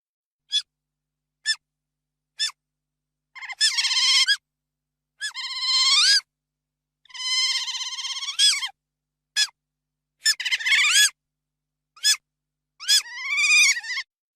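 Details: Otters giving high, thin chirps and longer wavering squeals rich in overtones, short single chirps alternating with drawn-out quavering cries, spaced irregularly about a second apart against a completely silent background.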